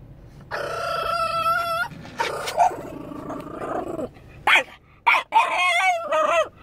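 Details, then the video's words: French Bulldog upset after his owner went into a store: long drawn-out, harmonic howling whines in several bursts, some wavering and bending in pitch, broken by short quiet gaps, with a faint low background hum. "Our Frenchie is upset his mom went into the store."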